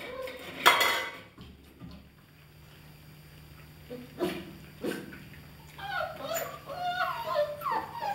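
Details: German Shepherd Dog puppies, 31 days old, from a kennel litter, indoors: a sharp yelp early on, then short whines and later a cluster of high squeaky whimpers from several pups, with room clatter and faint voices.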